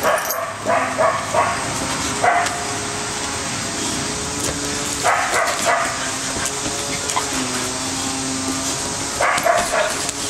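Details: Bella the American Staffordshire terrier, Orson the red heeler pup and Patches the Border Collie playing together: scattered yips and barks arrive in short bursts, with faint whining tones beneath and a constant noisy hum throughout.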